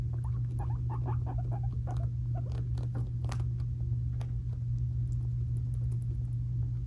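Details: Squabbling five-month-old boy guinea pigs kept as pets: a dense burst of quick clicks and chattering with brief squeaky notes, fading into sparse taps, steady mains hum underneath.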